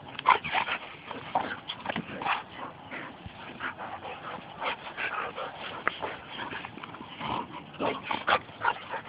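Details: Rough-and-tumble play between two pet Labradors; rasping growls and snorts rise and fall in quick bursts, mixed with a brief whimper and a soft bark-like yip.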